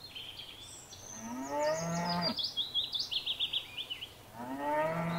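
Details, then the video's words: Cattle grazing in a paddock give a drawn-out, rising then falling moo, and a second moo begins at the end; birds sing quick high trills and chirps in between. "Cows Mooing and Grazing in a field"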